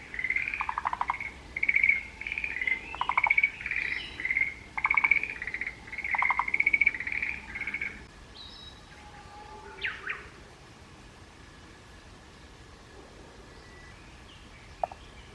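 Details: Forest green tree frog calling in the mountains, Japan: rapid rattling pulsed calls in repeated bursts through the first eight seconds, with a lower tone under each burst, then a few short whistled sweeps from another caller before quiet.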